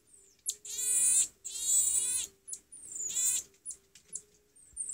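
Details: Young common marmosets, two weeks and 26 days old, triplets and twins meeting for the first time away from their mother. Two long, loud, shrill calls with rich overtones, then softer chirps and thin high whistles; a faint steady hum runs underneath.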